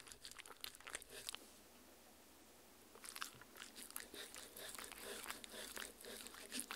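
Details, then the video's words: Dog chewing homemade Halloween jello worm treats of strawberry, meat, agar-agar and water, captured indoors on a Tascam R-40: wet crunchy bites and clicks, a quiet pause of about a second and a half, then steady chewing resumes. "JELLO WORMS Fun Halloween Dog Treats ASMR Eating Sounds"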